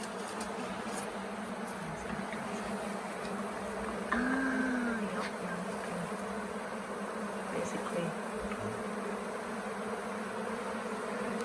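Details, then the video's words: Honey bee swarm, late in the year, gathered for several days on the grounds of the Tamarind Tree Hotel as beekeepers coax it into a nuc box; a steady, low droning hum, dense and unbroken, with a brief whistled tone near the middle. "Catching a Bee Swarm at Tamarind Tree Hotel"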